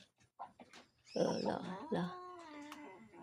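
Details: A domestic cat at play indoors gives a short, strained, wavering meow-like cry with a falling drawn-out tail, over soft clicks and people talking in Filipino.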